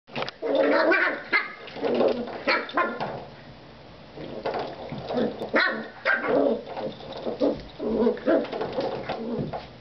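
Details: Claira, a Jack Russell Terrier puppy playing with a door stop indoors, gives bursts of gruff, throaty growls and short yappy barks in uneven clusters, with brief pauses between bouts.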